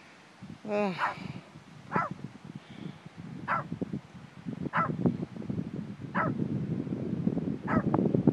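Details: A Shih Tzu barks in the snow at Sequoia National Park, giving a few sharp, high yapping barks over a background of voices and movement.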